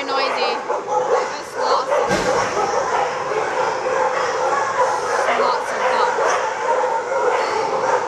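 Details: Crowded shelter full of dogs barking together, a dense, continuous din of sharp barks and yips with occasional human voices mixed in.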